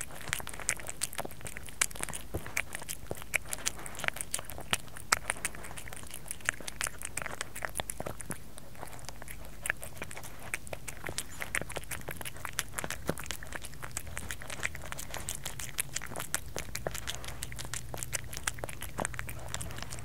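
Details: Steady crunching as Kerry the cat eats, a close indoor ASMR recording; rapid crisp bites and chewing clicks pour out over twenty seconds with a low room hum underneath.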